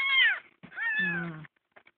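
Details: Kitten found crying on the road and adopted gives two meows: a short bright falling cry, then a longer wavering one sliding downward, with quiet room noise after.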